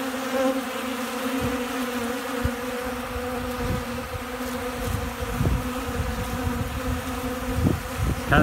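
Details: Bees eating right out of a hand in Central Alabama, feeding hard ahead of incoming rain and storms; a constant humming buzz broken by repeated wind knocks and a brief rustle at the end.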